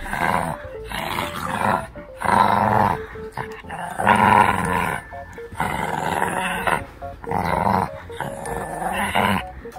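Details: Growling Shih Tzu puppy tugging a toy indoors as its baby teeth loosen: five or six rough, rasping growl bursts separated by short gaps, with light background music throughout.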